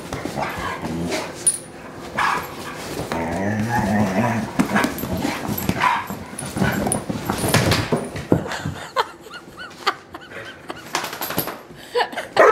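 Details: Couch wrestling between rescue German Shorthaired Pointer Kingsley and Wilma the Bloodhound: dense mix of low growls, grunts and whimpering yips in the first eight seconds, then quieter scuffling and panting.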